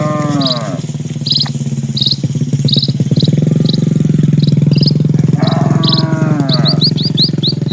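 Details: A herd of dozens of cattle crossing a calm countryside road: one moo fades out at the start and another swells near the end, set against heavy low-pitched rumbling and a bird's regular bright chirps.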